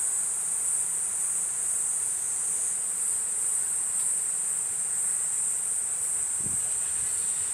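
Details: Platypleura kuroiwae cicada singing: an unbroken, shrill high-pitched buzz held steady throughout, with a faint low thump near the end.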